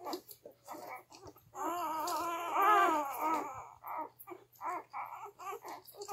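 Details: Three-day-old Gerberian Shepsky pups at the teat, a litter of twelve born June 21, 2021; short soft squeaks give way to one sustained wavering wail lasting about two seconds, then more scattered little squeaks.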